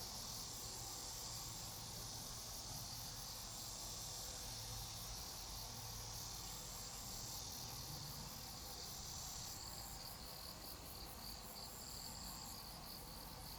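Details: Grass insects in a calm setting: dense, continuous high-pitched chirring and trilling from several callers, steady throughout with faint pulsing, beneath a low background hum.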